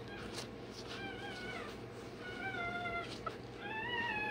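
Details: One-day-old Rottweiler puppy undergoing tail and dewclaw removal, giving thin, wavering high whines that rise and fall, several drawn-out cries in quick succession over a low steady hum.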